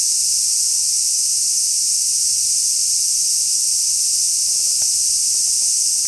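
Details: On 6 August 2016 at Kenmin Kenko Fukushi Mura, Koshigaya, Saitama, Japan, a large brown cicada produces a nonstop high-pitched sizzling drone, steady in volume, with a few faint clicks near the end.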